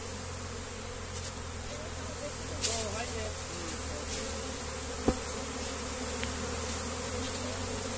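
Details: Honey bees buzzing as their comb is moved by hand: a steady low hum for several seconds, broken by a few knocks and a sharp tap near the five-second mark, with faint voices.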